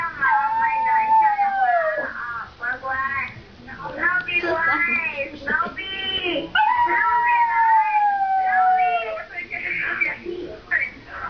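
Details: A Teddy dog howling like a wolf: two long, drawn-out tonal howls that slowly slide downward, each lasting two to three seconds, broken up by shorter yips and whimpering sounds, with music and voices in the background.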